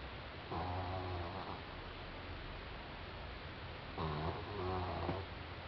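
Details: Sleeping four-month-old French Bulldog named Doudou gives a raspy, buzzing snore, then a pause of a few seconds, then a longer double snore, against constant background hiss.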